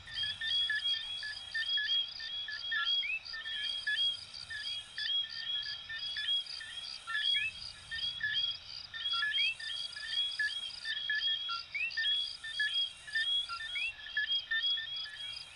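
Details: Coquí frogs from Venezuela and Puerto Rico calling as a dense night chorus: many overlapping short whistled notes, several sweeping sharply upward, packed closely with no pauses, over a steady high pulsing insect trill.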